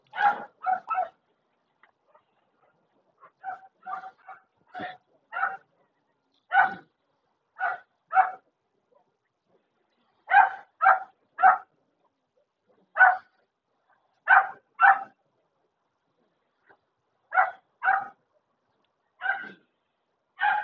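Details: A German Shepherd named Bear gives short, sharp barks, mostly in pairs or triplets, repeated steadily across the recording with brief silent gaps; a person calls out once near the start.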